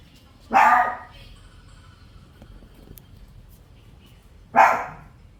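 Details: Shih Tzu puppies: two short, sharp barks about four seconds apart, each a brief noisy burst that fades quickly, over a quiet, low background hum.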